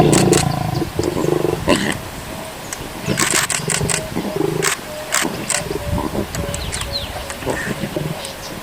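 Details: A lion cub at Sabi Sabi Wildlife Sanctuary, while its mother nurses her cubs, growls in low, rough rumbles at the milk bar, broken by sharp clicks and scuffing sounds.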